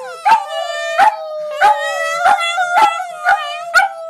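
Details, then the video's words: Several Border Terriers singing with their owner: a sustained, slightly wavering howl tone runs throughout, punctuated by six or seven sharp yips at roughly half-second intervals. "Border Terriers Howling"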